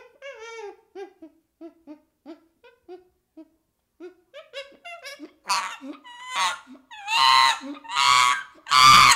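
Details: Baby chimpanzee giving a run of soft, tonal, whimpering hoots for about five seconds that builds into loud, harsh, shrieking screams, with short gaps between each outburst.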